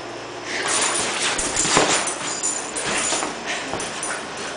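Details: Denali, a nine-month-old Siberian Husky puppy, plays on an air mattress indoors, giving soft, breathy whimpers and short whines amid steady rustling and scraping against the mattress.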